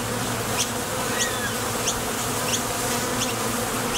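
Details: Honey bees at the entrance of a Top Bar Hive, coming and going to forage for nectar, make a steady dense hum. Short rising high chirps repeat about every two-thirds of a second above it.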